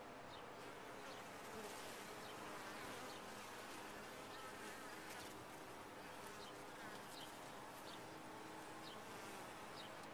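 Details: Steady buzzing of honey bees in a top-bar hive, a thick level drone dotted with quick high clicks and flicks.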